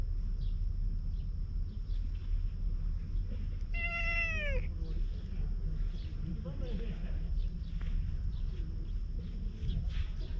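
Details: Wary stray cat met on a road leading to the sea while being offered a cat grooming brush, recorded on a GoPro HERO8. One clear, tonal meow lasting about a second, bending downward at its end, over steady low rumble and faint murmuring voices.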